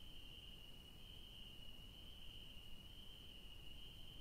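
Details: Garden crickets after dark, where yellow daisies grow, produce a constant thin, ringing trill that barely varies, heard over a low steady rumble.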